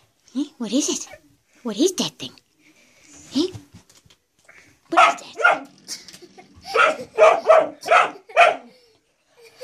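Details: Indoors, a male pet dog barks at a door stop that he seems to treat as a threat. A person first asks him what the blue thing is. Then come bursts of rapid, sharp barks, six or more in quick succession.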